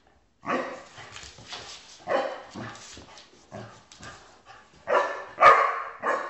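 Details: Basset Hound giving loud, uneven barks and yelps in irregular bursts with gaps between them, the last few calls louder and more drawn out, in a compilation of pet clips.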